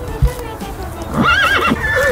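A horse gives a shrill, quavering whinny that wavers up and down for about half a second, after a spoken word and under soft background music.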